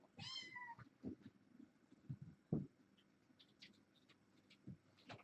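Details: Young kitten from a litter born August 29, indoors on an October 31 evening; one bright wavering meow at the start, followed by soft thumps and scuffling.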